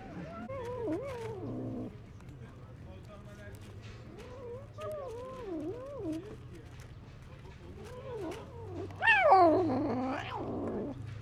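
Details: Hungry, neglected stray cat living among other strays, meowing while eating found food and fighting to protect it; wavering, rising-and-falling meows, one louder strained cry near the end, low steady hum underneath.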